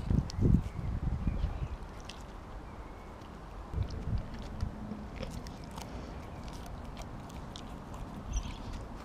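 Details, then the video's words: Siberian Husky named Kobi eating a whole raw mackerel in one go; loud crunching, chewing bursts through the first second and a half, then sparse quieter bites over a steady low rumble like wind. "Husky Eats Raw Fish! Sound On"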